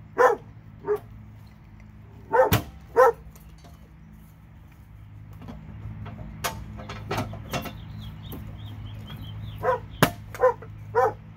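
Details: Dog in Alabama, one of two, giving scattered barks in short clusters with quiet gaps, plus sharp clicks and knocks in the background and a faint low hum.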